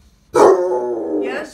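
A Basset Hound gives a deep, drawn-out howl, begging for its dinner.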